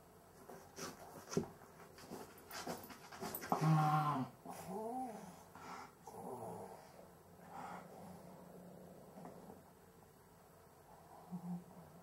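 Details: Breathing trouble in a sleeping Cavalier King Charles Spaniel, possibly sleep apnea: irregular raspy panting, then a loud honking snort around four seconds, followed by wavering, wheezy breaths that settle into quieter rasps.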